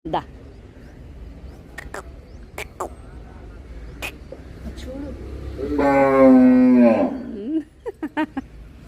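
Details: Cow eating rice gives one drawn-out, harmonic moo lasting about a second and a half, steady and then dropping at the end, among sharp clicking taps and nearby people talking in Telugu.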